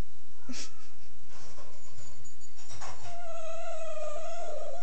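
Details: Italian Greyhound giving a single steady, drawn-out nasal whine that holds one pitch, heard after a few seconds of rustling and handling noise.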